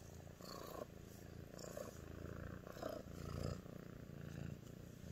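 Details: Female Sphynx cat named Nyx purrs affectionately for her human, a continuous deep throbbing rumble rising and falling with each breath, roughly once a second, with slight rustling nearby.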